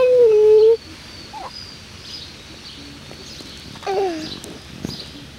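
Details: A Lakeland Terrier puppy litter at six weeks old, from parents Octavia and Oscar. One strong, level whine of under a second opens, and a shorter falling whimper follows near the end over quiet room noise.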